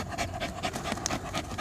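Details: Poodle dog panting in quick breathy puffs, a short run of rhythmic noisy breaths with a faint background hum.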